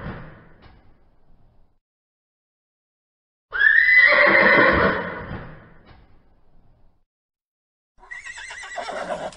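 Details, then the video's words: Horse whinnying: a faint sound at the start gives way to silence, then a loud, shrill, quavering neigh that breaks high and slides downward over about two seconds. A second, quieter shaky whinny closes the recording. "horse sound"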